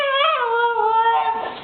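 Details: Tundra, a female Siberian Husky puppy, cries after her owner calls her a crybaby: one drawn-out, tonal whine that starts high, drops early, then holds steady and slowly fades over almost two seconds.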